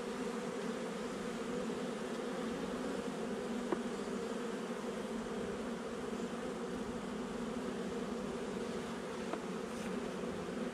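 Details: Honey bees in a nuc colony installed a little over a month earlier, heard during a hive inspection on 8 July 2020: a steady, dense low hum, unbroken throughout, with a couple of faint clicks.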